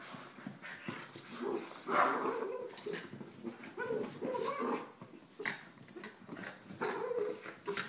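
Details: Soft Coated Wheaten Terriers Abbey and Zoey indoors: low rumbling growls and short whimpering yips in irregular bursts, with scuffling and thumping throughout.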